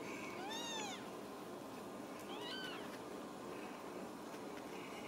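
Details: Ragdoll kittens in a central Kansas home cattery: a high arched mew, then a shorter rising-falling squeak two seconds later, over a steady room hiss and soft background noise.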